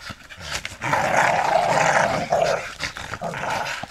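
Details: American Staffordshire Terriers, a family of father, mother and one of their pups, jumping about together; a rough, rasping growl holds steady for about a second and a half amid scuffling and thumps.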